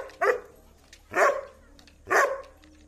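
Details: A 7-month-old Doberman gives three loud, deep barks, roughly one second apart.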